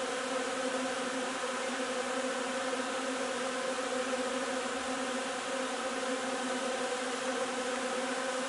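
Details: On 3 June a honey bee hive works linden blossom nectar, filling the air with an unbroken, droning mass buzz whose steady tone only slightly wavers in loudness.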